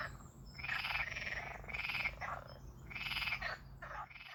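Frogs give harsh, pulsed croaking calls in loud bursts about a second long, with a faint steady hum beneath.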